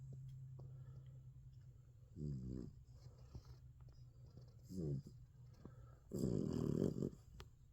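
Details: American Bully puppy on its first night in the bed, sleeping and dreaming indoors; soft rough snorts with short whiny tones come every couple of seconds, ending in a longer raspy snore, over a steady low room hum.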